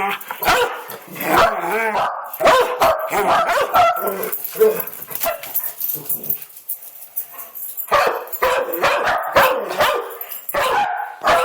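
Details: Domestic dog barking indoors, rapid harsh barks in bursts, pausing midway before a quick run of sharp barks near the end, with a person talking over much of it.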